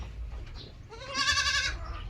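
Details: A single domestic goat on a farm utters one wavering, nasal bleat lasting under a second, against a steady low background hum.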